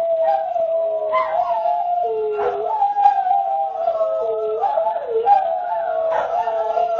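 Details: Greyhounds rooing together, several howling voices overlapping and weaving, sliding up and down against each other in a continuous wavering chorus.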